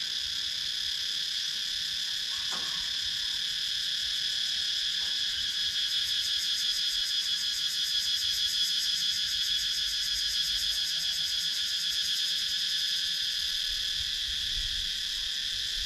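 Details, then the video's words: Wild cicadas sounding in a wooded rural area of Sakon Nakhon, Thailand, captured on a GoPro Hero 9; continuous shrill buzzing chorus, a fast pulsing texture joining in the second half, a couple of faint clicks early on. "Relaxing Sounds in Nature – Cicadas Sound"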